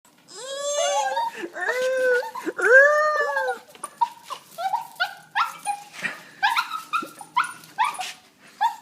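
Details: Excited female puppy whining with joy on seeing her owner, as she does every time. Long rising-and-falling whines come first, then a run of short, higher whimpers in quick succession, indoors.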